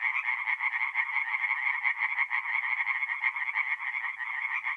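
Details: Tree frogs in full song at a north-east Italian forest pond on an April night, a short burst of loud, throbbing, overlapping croaks forming a steady nasal chorus.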